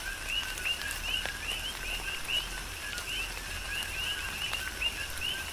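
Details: Coqui frogs heard in falling rain on Hawaii's Big Island, giving rhythmic two-note calls, a level low note then a rising high note, roughly once a second from each caller, over rain hiss and sharp drips.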